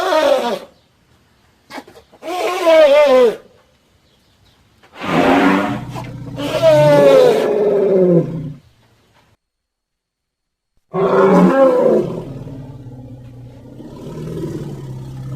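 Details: Elephant calling in a series of wavering, bellowing blasts, about five bursts over fifteen seconds with pauses between, the last trailing off into a quieter low rumble.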